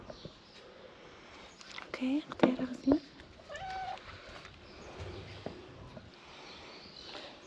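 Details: Stray kitten under treatment gives a short, high wavering meow that rises and falls, mixed in among louder human voices talking nearby in a small indoor room.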